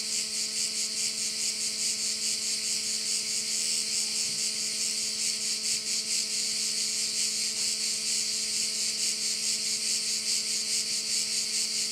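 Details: Korčula bay crickets in full chorus, a bright sizzling drone beating in regular waves near twice a second, accompanied by a weak steady low hum and a brief faint knock midway.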